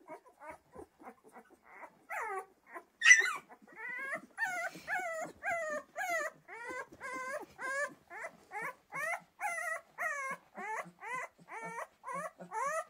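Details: Pyrenean Mountain Dog puppies from Ehrenberger Hof whimpering steadily: thin, bent whines repeated roughly every half second, one brief louder squeal early on, then a long regular series of similar plaintive whimpers, with quiet background and no other sounds.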